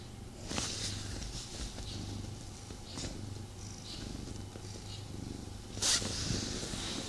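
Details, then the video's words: Domestic male cat purring as it snuggles with its owner at home, a little unsettled; an even, low, pulsing purr under frequent soft rustles of fur and cloth, with a brief loud scrape near the end. "ASMR Cat Snuggle Kuddle | Purring"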